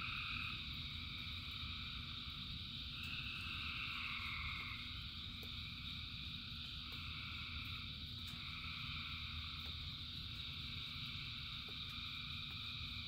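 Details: Frogs calling in the rain, thousands together, form a continuous shimmering chorus of stacked high trills; one voice slides downward midway while steady rainfall rumbles underneath.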